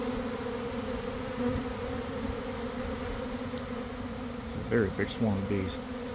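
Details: Honey bee swarm forming in a garden near the hives around one in the afternoon, after a week of cold, damp weather: a dense, steady, low droning hum of many wings, with a brief voice-like harmonic sound near the end.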